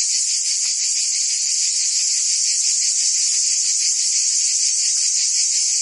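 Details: Provence cicadas in summer, France: many insects blend into one constant piercing high buzz, lightly pulsating, loudness unchanging from start to end.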